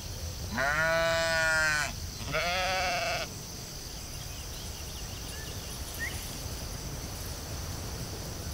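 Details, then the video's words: Sheep on a field bleating twice in quick succession, a long wavering call and then a shorter one, with steady low rumble and high hiss behind. "Cute sheep"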